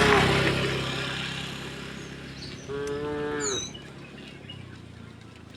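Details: Tame cows mooing while herded across a wooden bridge toward green fields; one short harmonic moo near the middle, with broadband rumbling noise at the start and brief bird chirps.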